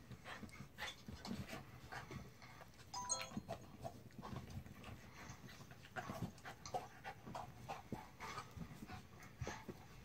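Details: A mutt named Jack pants in quick, uneven breathy bursts, with rough broadband puffs repeating several times a second and a brief higher squeak near the three-second mark.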